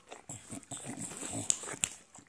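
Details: An enthusiastic English bulldog licking its paws indoors: a string of raspy snuffles and low grunting snorts, broken by two sharp wet clicks, a person talking faintly before.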